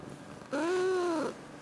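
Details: Chatty house cat, recorded 21 February 2018 while conversing with its owner: a clear, soft 'kuu' coo of about three-quarters of a second that rises slightly and then falls, tonal and smooth, in a quiet room.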